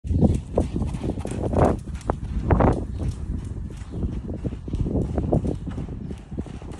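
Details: Two-year-old buckskin Quarter Horse filly being lunged: dull, thudding hoofbeats in an uneven rhythm, several footfalls each second, with louder strikes near the start and middle against a low rumbling background.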